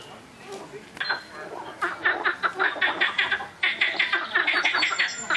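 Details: Noisy frogs calling loudly, a dense run of short, rasping croaks repeated several times a second, overlapping voices suggesting a chorus, building after a quieter opening second.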